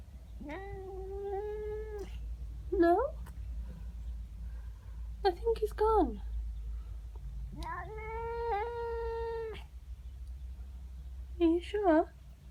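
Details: Domestic cat indoors in the morning, upset at another cat in its garden: long wavering yowls with a steady tone, broken by short rising chirps and squeaky bursts, over a low room hum.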